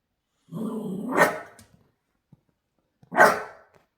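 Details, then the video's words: A male Shiba Inu gives his expressive "talking" bark at 6 a.m.: a low, rumbling growl that breaks into a sharp bark, then barks again. "Shiba Inu Dog Barking Sound"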